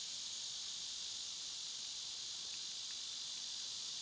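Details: Steady shrill buzzing of cicadas on a summer day, a continuous hiss with a couple of faint short chirps poking through around the middle.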